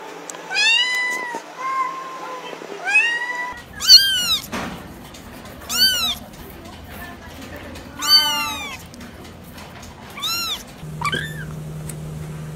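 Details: Several kittens calling in quick succession, their high, arching meows overlapping at first, then sharper, louder cries every two seconds or so, with faint voices in the background and a low hum near the end.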